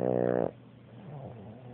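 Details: A Boston Terrier lying on a sofa gives one short, rattling snore, then breathes quietly.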